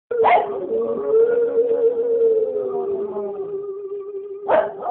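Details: A pet Cocker Spaniel howls along to a favourite song, Indian Love Call, in a long, steady, mid-pitched tone that sags slightly before a sharp yelp.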